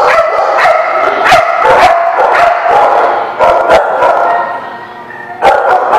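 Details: Dogs at a dog park barking in a busy overlapping chorus, sharp yaps and deeper barks tumbling over one another several times a second, with no pause through the whole stretch.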